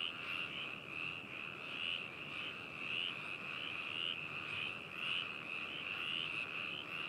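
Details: Binaural recording of frogs in Hakushu town, Hokuto, Yamanashi, Japan, 4 May 2018, ZOOM H2n: a thick chorus of rapid high-pitched croaking trills with individual callers briefly rising above the steady background about once a second.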